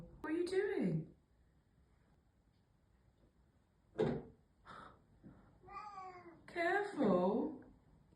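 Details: Mieko the black cat cries repeatedly indoors, missing a housemate who moved out; a wavering descending meow opens, followed by several shorter harmonic meows, with a woman's gentle voice in between.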